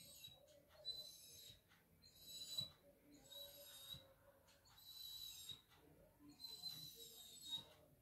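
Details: Labrador Retriever talking with its owner indoors: thin, high whining whimpers in four bursts about two seconds apart, each a few drawn-out tonal squeals, with soft room noise between.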